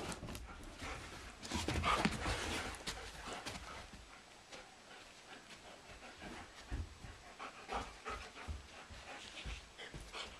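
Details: A German Shepherd named Blondi wrestles a Doberman named Sugar Tree indoors in April, with sheep Dasher and Edie as spectators. Fast, fairly steady panting with bursts of scuffling, strongest around the second and third seconds, then continuing more quietly.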